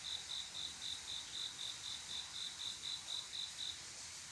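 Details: Brief run of male cricket mating song on a quiet summer night: around fifteen evenly spaced high chirps, four per second, stopping before the end, with a soft insect chorus continuing underneath.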